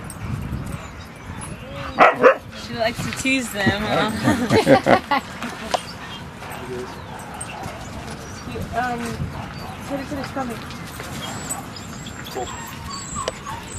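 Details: Rocky, a dog at Seal Point Dog Park on the western side of San Francisco Bay, greets other dogs at the gazebo on March 6, 2015. A cluster of short yelping barks rises mid-clip while people talk throughout.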